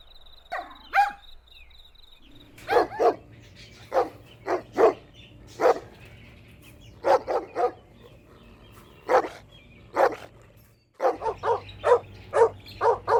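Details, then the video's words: Puppies playing outdoors with their mother dog over a toy: a whine-like call at the start, then short sharp barks singly, in pairs and in quick clusters, over a low steady hum. "Cute Puppy Toy Battle with Mother Dog | Funny Barking Sounds"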